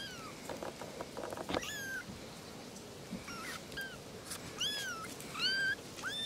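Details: Three little kittens talking to each other: thin, high arched mews scattered through the clip, a few sharper and clearer near the end, over a background of soft hiss and faint rustling.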